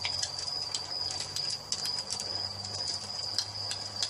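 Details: Crickets at dusk in a relaxing nature soundscape beside a fireplace: a steady high, thin ringing trill runs without a break, while sharp pops and crackles from the burning fire are scattered throughout.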